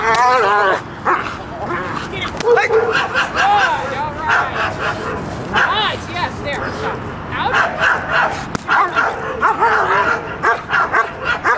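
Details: Dog Mako during protection work, practising the bark after the out: sharp harmonic barks repeat roughly twice a second while a trainer speaks loudly over them, urging more aggression.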